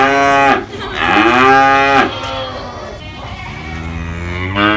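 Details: Cows, babies and adults, give two loud sliding moos back to back, then a quieter, lower drawn-out moo trailing off, with a steady low rumble underneath.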